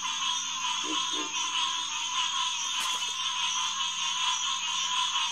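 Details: Dense chorus of green tree frogs, Hyla cinerea, calling from the Headquarters Pond at St. Marks refuge on a June night in 2021; continuous overlapping calls, with a couple of short lower grunts early on and a sharp click near three seconds.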